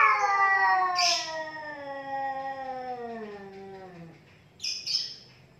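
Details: Two cats squaring off, a long descending yowl drifting from high to low over four seconds, cut by a loud hiss early on and two more sharp hissing spits after a brief quiet gap.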